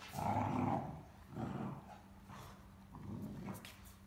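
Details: A talkative Great Dane puppy gives low, rumbling puppy growls and moaning grumbles in bursts, complaining while playing with an older female Great Dane over the same stuffed toy.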